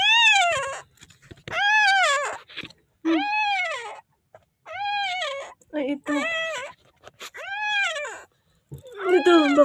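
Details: Newborn puppy in the Philippines crying for help before being saved: a string of about eight arched, squealing whines, each rising then falling, roughly one every second, with short rough squeaks and handling noise in the gaps.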